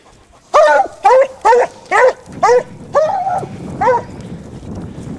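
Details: Basset Hound from the French Rallye de l'Allagnon affix trailing a scent, giving a series of seven loud, arched, musical bays roughly every half second, the last drawn out, over faint rustling.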